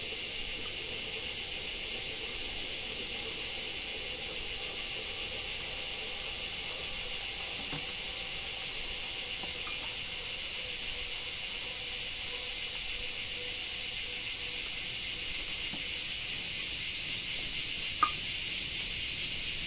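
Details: Long unbroken cicada chorus of a Japanese summer, a shrill, even buzz that slightly shifts in pitch partway through. Scattered faint ticks and one sharp click sound near the end.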